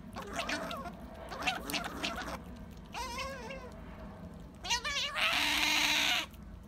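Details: Sakura, a female pet otter, wanting jerky indoors. Soft chirps and wavering squeals mix with background chatter, and the clip ends in one loud, harsh, sustained squeal.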